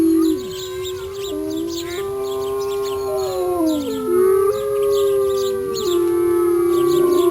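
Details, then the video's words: Mother wolf howling: several long, smooth, mid-pitched howls overlap throughout, some held steady and others sliding up or down, forming a layered chorus of voices with little background noise. "Mother Wolf Howling Sound Effects"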